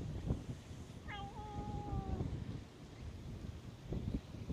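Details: Cat that had been sleeping on top of tetrapod breakwater blocks, awake and coming out to be petted, gives one drawn-out meow of about a second, steady in pitch and then easing down, over wind rumble and rustling footsteps.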